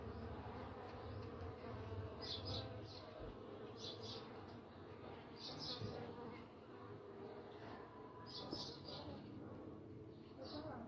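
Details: Low, steady droning buzz of Uruçu nordestina stingless bees (Melipona scutellaris) making their entrance at the nest, with faint high chirps in the background.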